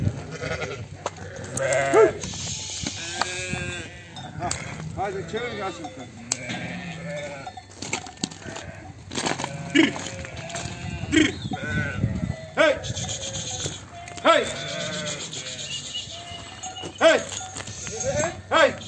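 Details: Sheep and lambs on a sheep farm during separation of lambs from ewes: a crowded flock bleating, many wavering, overlapping calls throughout, with loud bleats near two, ten, twelve and seventeen seconds, and a man talking in places.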